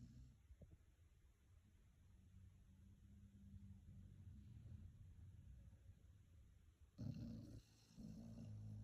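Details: Red-and-white Beagle, two years four months old, asleep and dreaming, breathing with a steady low rumbling snore, then a louder, rougher grumbling snort near the end.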